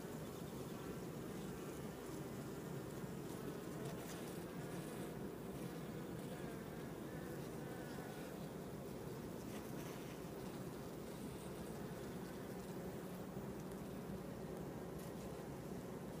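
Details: Dense, steady, low buzzing hum of many honey bees working a cut-comb honey super during a hive inspection, on a sweet and white clover nectar flow.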